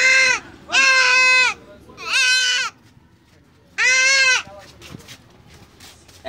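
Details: Goat during castration giving three loud, harsh, nasal bleats, each about half a second to a second long, separated by short pauses, with faint handling noises afterward.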